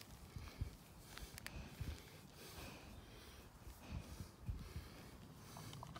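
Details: A Cane Corso snorts and sniffs in low, breathy bursts while being cuddled; Cane Corso.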